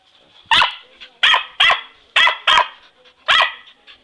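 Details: Hurley, an English Cocker Spaniel, excitedly chasing Christmas balloons, gives six sharp, bright barks in about four seconds, unevenly spaced with a double bark in the middle and short pauses between bursts.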